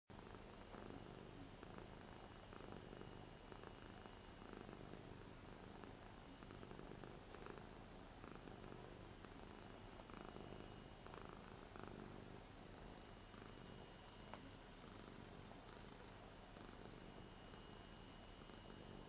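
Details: Ragdoll cat Rara, eight years old, affectionate while being touched on a new bed indoors. A low, continuous rumbling purr runs steadily through the whole stretch under a soft room hiss.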